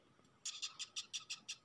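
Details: Dung beetle held in the hand, also biting, gives a run of dry, scratchy squeaks called a crying sound, evenly pulsed about six times a second.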